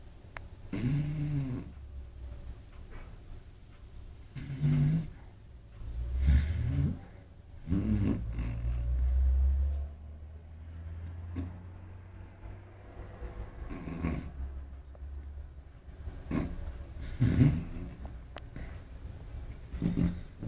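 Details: Beagle named Kira, an eight-month-old female pet, sleeping soundly beside another dog, Apolo; loud low snores and rumbling breaths come in irregular bursts, some drawn out for a couple of seconds, recorded indoors.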